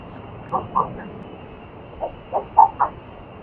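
A red-footed tortoise gives short, hoarse, mid-pitched clucks, two close together, then four more in a quicker run after a pause. Faint background hiss throughout.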